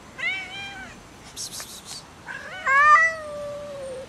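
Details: Quarrelling cats in an angry fight over food: a strained, wavering yowl, then a sharp breathy hiss, then a louder rising yowl that settles into a long, drawn-out moan.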